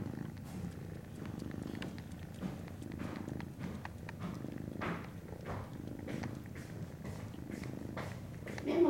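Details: Norwegian Forest Cat kitten at Fantarja Cattery on 19 January 2017 gives a low, rhythmic purr in breathing cycles, with soft clicks, handling sounds and a brief louder bump at the end.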